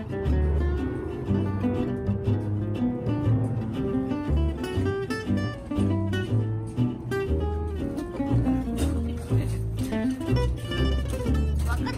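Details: Strummed acoustic guitar music plays throughout, with steady plucked notes and a low bass line; no animal sounds are heard.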